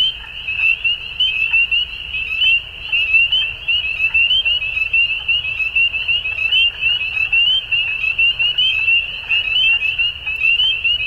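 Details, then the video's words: Chorus of frogs at dusk, many voices blending into one continuous high, shimmering trill, with fine rapid pulses and uneven surges in volume throughout, over a soft low background hum. "Frogs At Dusk"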